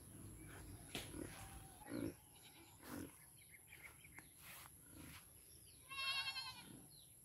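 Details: A raised, domestic goat gives a single quavering bleat near the end, against a quiet background with faint knocks and rustles.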